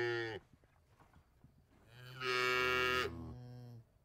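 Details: Cow mooing in a quiet setting: a brief low moo ends at the start, followed by a loud, bright, drawn-out bellow that drops into a lower tail, with faint shuffling between calls.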